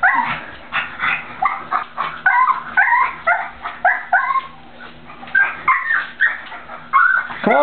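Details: A male pug, indoors, terrified to walk across a slippery, freshly cleaned bathroom floor to reach his toy, gives a rapid series of high, whiny whimpers and yips, some bending upward, nearly continuous for several seconds.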